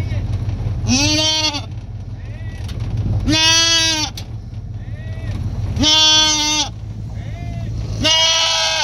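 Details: Female fainting goat calling loudly from a vehicle on the way to her new home, reacting when she hears the other goats: four long, wavering, nasal bleats, one every two to three seconds, over engine rumble, with people talking.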